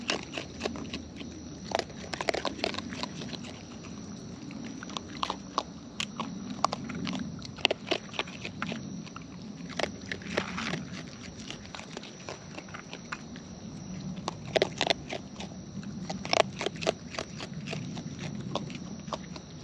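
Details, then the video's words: Raccoons in the wild feeding at close range; dense, irregular crunching and smacking bites come in clustered bursts, with short pauses between, above a faint steady background hum. "Wild Raccoons & ASMR Chewing Sounds"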